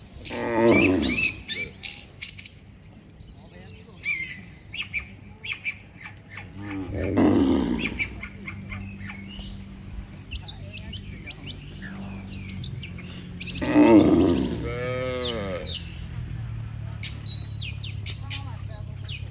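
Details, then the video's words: A herd of dozens of tame cattle calmly returning to their barn from the pasture, giving three long, low moos spaced several seconds apart, with sparse high bird chirps and twitters filling the gaps. "Suara sapi Moo"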